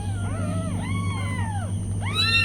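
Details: High, wavering meows from newborn kittens with their mother cat. Overlapping cries slide up and down, and a louder call starts near the end. A low hum continues throughout.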